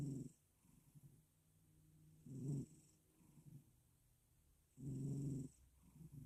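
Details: A male cat snoring as he drifts to sleep: low, rough, nasal snores about every two and a half seconds, each with a faint hiss of breath, quiet between.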